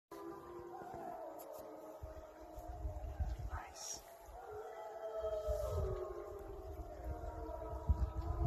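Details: A gray wolf pack on a riverbank near Drayton Valley, Alberta, on September 12, 2020, howls back after people howled to them: long, overlapping tones that slide up and down over low rumbling background noise.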